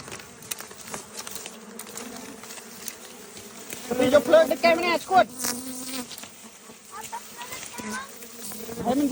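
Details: Honey bees buzzing while people go after a colony to take the bees, a steady low drone with a higher overtone running throughout, broken midway by loud excited shouting in Khmer and other voices nearby.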